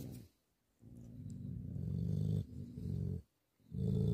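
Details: Tibetan Mastiff (Bhote Kukur) giving a deep, throaty sustained growl in several long pulls separated by short silences, quiet and close.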